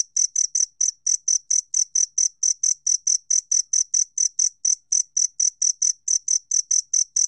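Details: A steady series of bright, high-pitched chirps from a two-spotted cricket, about four per second, evenly spaced and uninterrupted, from a 2020 National Institute of Biological Resources recording in Korea.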